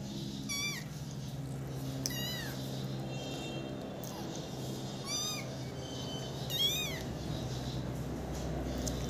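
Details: Kitten mewing: five high, thin, arched cries, each rising then falling, spaced roughly every one to two seconds over a steady low background hum.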